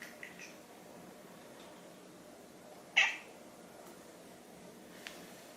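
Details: Indoor silver tabby cat looking up at a toy taken away from it, giving a single short, sharp "nyah" meow midway. Quiet room noise surrounds it, with a faint tick near the end.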